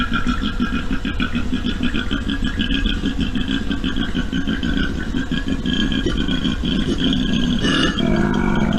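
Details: A typical male koala bellow, picked up by a song meter recorder between 6 a.m. and 8 p.m., is a deep rasping rumble of fast snore-like pulses, about three each second.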